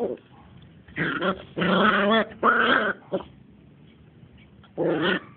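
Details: Smooth Fox Terrier puppies, two months old, playing together, giving three long, wavering growl-whines close together, then a pause and one more growling burst near the end.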